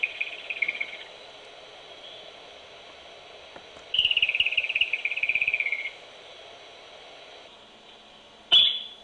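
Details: A groundhog near its burrow in a barn, picked up on a baby monitor, gives shrill, high whistles with a rapid fluttering quality, each gently falling in pitch.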